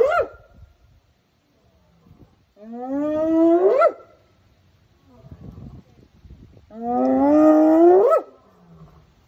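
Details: A spotted hyena at a zoo answers a lion grunting up the hill with long, rising, hollow calls that swoop upward and break off sharply.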